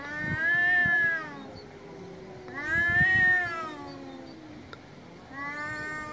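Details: Angry cat meowing loudly three times, each a sustained, nasal, arching wail of about a second, roughly two seconds apart, with low rumbling underneath.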